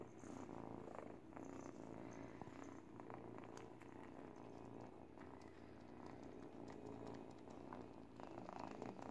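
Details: Eight-week-old kitten purring while teething on a baby blanket indoors; steady low rumbling purr throughout, with scattered soft clicks and rustles from chewing and fabric.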